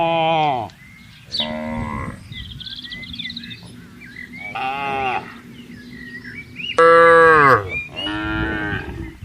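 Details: Tame cattle roaming freely and grazing in a wide garden, giving five moos in quick succession, some short and some long and strained, with bird chirps in the quieter gaps.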